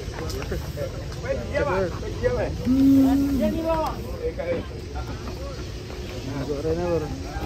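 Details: Cattle being loaded onto trucks in Indonesia, a long steady low moo held about half a second mid-clip, with other curved calls around it, over loud engine rumble, hissing and people talking.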